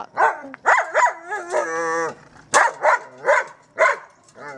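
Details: German Shepherd playing with a trolley, letting out a rapid run of rising barks and yelps, with a sustained wavering whine in the middle, roughly one bark every half second afterward.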